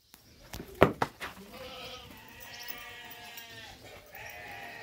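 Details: Boer goats on a farm in northeastern Brazil, 2018: after a few sharp clicks and knocks, a long wavering bleat with rich harmonics, then a second shorter bleat near the end.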